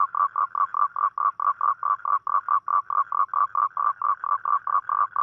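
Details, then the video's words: Toad calling at night, a call given on rainy nights to attract a mate: a rapid series of short, nasal, mid-pitched notes, about four per second, steady and even, over a quiet background. "เสียงร้องคางคกตอนกลางคืน | The Sound Of Toad At Night"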